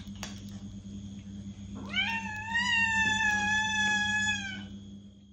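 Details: Cat calling to draw a reaction from another cat: after a faint tap, one long, rising then level, harmonic meow lasting over two seconds, over a steady low hum.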